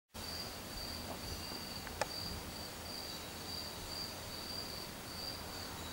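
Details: A cricket, said to be grooming itself, trills steadily on a high, thin note that pulses gently and never stops.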